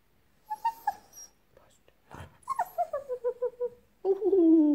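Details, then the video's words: French Bulldog Pepsi indoors facing a talking hamster toy: a woman's voice, then a quick run of about eight short descending yips, ending in a loud, falling whine. "FRENCH FRANZÖSISCHE BULLDOGE GIBT KONTRA"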